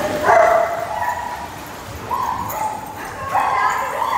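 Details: Pet dogs of mixed breeds, Labrador Retrievers and German Shepherds among them, give sustained whining howls. One long wavering tone opens, a steadier note follows mid-way, and a louder overlapping cry closes the clip.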